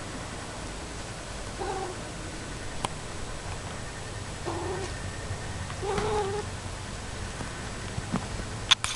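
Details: Pet cat, described as very talkative, vocalizing while playing indoors; a few short, soft meow-like calls spread across the recording, with faint clicks and handling noises in the background.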